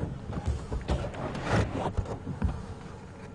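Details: Low rumbling vehicle and mechanical noise with faint clunks, and no animal voice.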